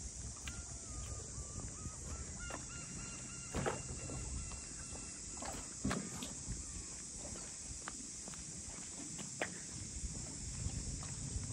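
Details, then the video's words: Continuous high buzzing drone of cicadas over the traditional boathouse district of Ine no Funaya, north of Kyoto, joined by a brief thin whistled tone early on and scattered clicks and footsteps. "cicadas voice"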